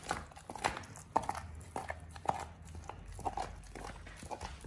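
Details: Indoors, the Pit Bull Oliang crunches a raw ostrich paw on his first try; loud crisp bites land roughly once a second amid softer wet chewing.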